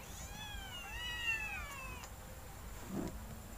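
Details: One of two kittens competing to drink milk at night gives a long wavering high meow that fades out, followed by a soft low thump over a faint constant hum.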